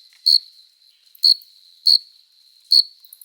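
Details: Adult male cricket singing on a summer night to court a female, wings rubbing together: four crisp high chirps in quick succession, separated by short quiet gaps over a faint sustained tone.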